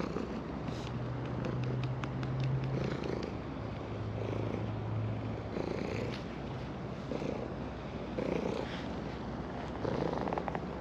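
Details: Evening breakwater, an orange tabby cat rumbling a continuous purr as it is petted, recorded on a GoPro Hero10; a low steady hum sits under the purr for the first few seconds, then fades.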